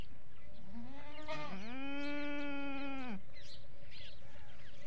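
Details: A desi goat at a goat farm where kids come close: one long, steady, nasal bleat lasting over a second after a short rising lead-in, with faint clatter and a low hum around it.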